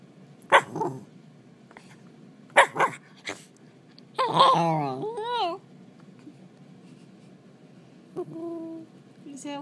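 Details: Young Shiba Inu, eight months old, barking a few times in short bursts, then a wavering, yodel-like drawn-out cry, with a person talking nearby.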